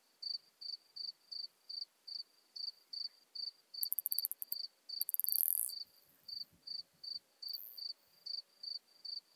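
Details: Modest Plump Bush-cricket (Isophya modesta) at Marz, Austria, on 13 June 2020, picked up with an ultrasound detector: evenly spaced high ticking pulses about two and a half per second, broken midway by a brief cluster of very high, hissy rapid chirps.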